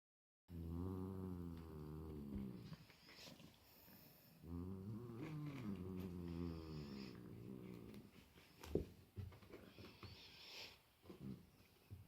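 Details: A big domestic cat meeting his little brother for the first time gives two long, low, moaning growls, drawn out for several seconds with a wavering pitch, then quieter scuffling and brief knocks.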